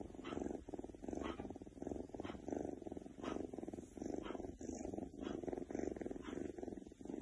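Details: Oriental Shorthair cat named Keks purring while feeling good; steady rumbling purr in rhythmic pulses, each breath cycle lasting about a second, with soft swells and brief dips between inhalation and exhalation.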